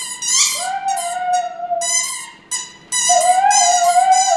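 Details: A female Siberian Husky sings with her squeaky toy indoors, giving loud sustained howls that rise and hold steady with rich harmonics, broken by a brief pause before a second long wavering howl.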